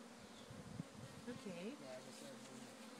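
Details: Honey bee swarm, which came out of one of the farm's hives, being moved gently on a fine day. A low, steady buzzing hum runs throughout, with brief wavering tones in the middle.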